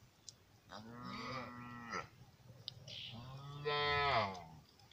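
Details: Lamb bleating twice: two drawn-out, tonal bleats, each lasting about a second and separated by a short pause, with a low background hum and a few faint clicks.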